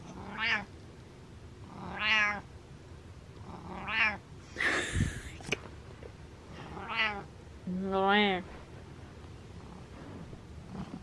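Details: Butters, a male pet cat, telling his owner off indoors: five drawn-out, wavering harmonic meows spread across eleven seconds, each rising then falling, with a sharp thump between the third and fourth.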